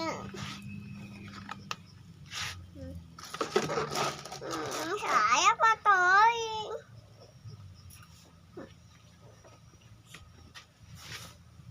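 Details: Village cat at mealtime with rice, Bolt pellets and fried egg: noisy clattering and rustling, then a series of loud, wavering meows in the middle before quieter room sounds return.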